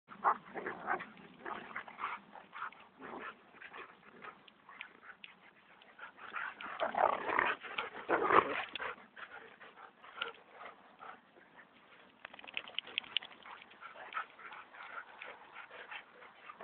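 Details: Standard Poodle and Golden Retriever, named Onyx and Bailey, play-fighting together: bursts of rough growls, snarls and yips, busiest and loudest around the middle, with short quieter gaps between flurries.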